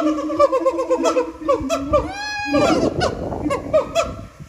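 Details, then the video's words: Siamangs singing at Japan Monkey Center, their throat sacs amplifying the voices into very loud calls; a rapid series of hooting notes rises and falls, then a loud sweeping upward glide and a noisy, harsh chorus with overlapping voices. "歌うフクロテナガザル | Singin siamangs"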